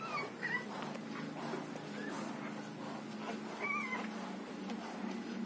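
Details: A six-day-old Rottweiler puppy being milk-fed gives thin, high squeaking whimpers that rise and fall over a low steady hum.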